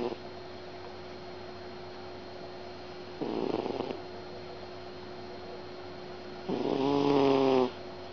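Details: Sleeping cat snoring: two raspy, harmonic breaths, a shorter one near three seconds and a longer, louder one after six seconds with a faint whining tone, over a steady low household hum.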